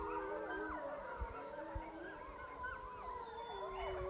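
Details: Pack of wild wolves called in from about a mile away to a high mountain lake, howling together: many overlapping drawn-out, sliding, wavering tones at once, a continuous chorus with faint background rustle.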